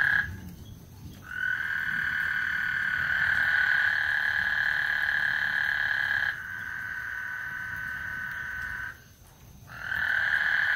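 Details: Frog serenade on Lake Houston as a thunderstorm approaches: extended droning trills of steady pitch, one running about five seconds, then quieter calling and a brief pause before resuming.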